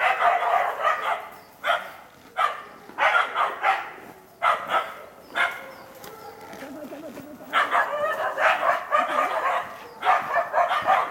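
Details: Karelo-Finnish Laikas Rus-Fin, 2, and Kaya, 8 months, work a wild boar in a pen ahead of trials; persistent shrill barking at roughly four per second, one quieter stretch with a faint lower voice beneath.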